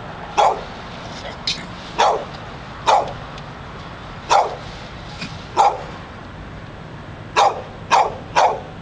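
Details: Dog barking nonstop outside a Barnes and Noble bookstore in Pleasant Hill, California; sharp barks in irregular bursts, singles and close pairs, over steady low street noise.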